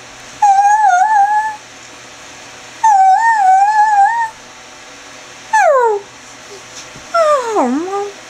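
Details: Greyhound Chevelle mixing roos and whines: two wavering sustained howls followed by two shorter whines that slide steeply downward, four calls spaced over eight seconds in a quiet indoor setting.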